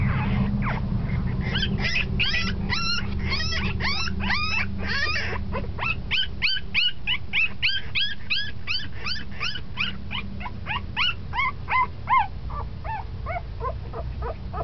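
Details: Ten-day-old puppy that has begun moving about a lot, crying in a long, dense stream of high-pitched squeaks and whines, roughly three per second, steady throughout with brief louder yelps near the end, low hum beneath.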